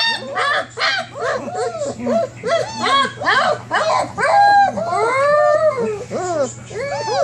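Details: German Shepherd puppies, 27 days old, whine from inside their whelping box, eager to come out and play; a busy stream of short arched yelps and whimpers, several pups at once, with longer drawn-out whines toward the end.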